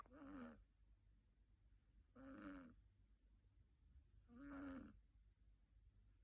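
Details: Female Siberian kitten asleep on an owner's bed, snoring in three short raspy breaths about two seconds apart, each a noisy burst with a faint squeaky tone, in a quiet room.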